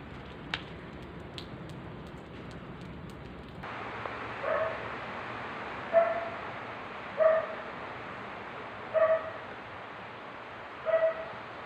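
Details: Cats met on a walk through Amoranto Park, recorded on an OPPO A5s phone: a series of five short, tonal meows spaced roughly one and a half to two seconds apart, following faint clicks, over a steady background hiss.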